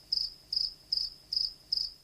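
A cricket chirps in short, high, pure-toned pulses repeated about every 0.4 seconds.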